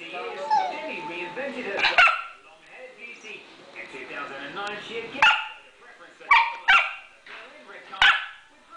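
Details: Female pet dog begging for bacon and eggs: abrupt, loud barks, some in quick pairs, interrupting a person's continuous speech in the room.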